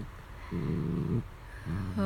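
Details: Dachshund growling while playing with a plush toy: two low, rumbling, steady growls, the first lasting about 0.7 seconds and the second shorter, in a quiet indoor room.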